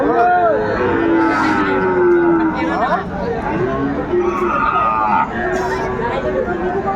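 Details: At Ambari haat cattle market, 13 January 2025, a Sahiwal bull calf gives a brief rising cry, then a flat, drawn-out low moo, half buried under busy market talk and bargaining voices.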